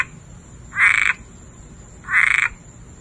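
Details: A frog sings in a backyard just before Hurricane Dorian, giving short, raspy pulsed trills, each about a third of a second, repeated every second and a half.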